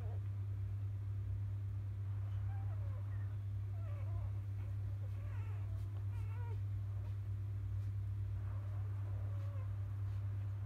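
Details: Newborn field-type Labrador Retriever puppies, born to Biscuit, a 2017 JFA grand champion, after nursing: scattered short high squeaks and wavering whines from the litter over a loud constant low hum.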